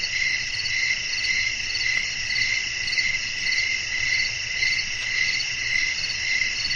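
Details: Crickets chirping at night in a calm natural setting with wind: a dense, shrill, high chorus of several layered tones, pulsing steadily about twice a second, with a faint low rumble underneath.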